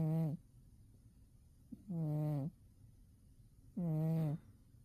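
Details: Sleeping deeply in winter, Umi the cat gives steady humming snores, three low buzzy pulses of about half a second, evenly spaced by quiet gaps of over a second.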